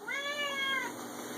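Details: Indoor six-year-old male Siamese cat giving a single strong, slightly falling meow lasting under a second, loud and tonal, followed by quiet room hum.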